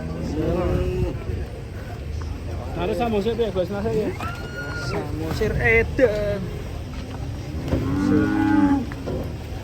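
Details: Cattle in Indonesia, among a compilation of funny, unique cows; low harmonic moos rise around the third and eighth seconds beneath background music, with a person's exclamation and mixed noise throughout.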